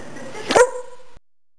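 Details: A dog gives one short, sharp bark, then a brief ringing tail over a steady background hum that cuts off abruptly.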